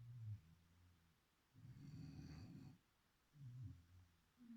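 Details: Low, throaty snoring from Chipi the beagle while asleep: a brief rattle, then a sustained, hoarse rumble lasting over a second, and the next rattling breath beginning, all against near silence.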